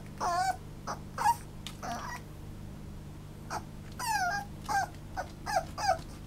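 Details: Toy Poodle whimpering: about eight short, high, tonal whines over six seconds, each bending upward then falling, some in quick pairs, with a steady low electrical hum beneath.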